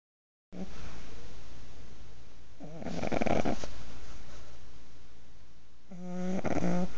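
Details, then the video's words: A six-month-old pug asleep, snoring in two bursts: a rattling, buzzy inhale with stacked harmonics, a pause, then another harsh snort-like snore, over steady low hum. "Mrs Pugglesworth snoring. 6 month old Pug."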